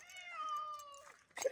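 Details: Domestic cat trapped in a live trap, meowing: one long drawn-out tonal meow, steady then dipping at the end, followed by a brief rustle.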